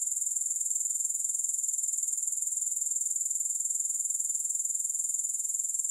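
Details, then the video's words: Unbroken high, thin buzzing trill from grasshoppers with no music, pulsing about four times a second and holding an even loudness throughout. "Grass Hopper Sounds"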